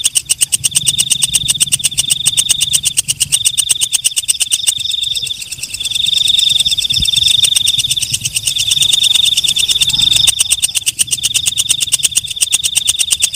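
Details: Walang kecek, the katydid also named belalang malam, calling: quick dry ticking for several seconds, then stretches of piercing buzzy trills in separate bursts with short gaps, before the ticking returns.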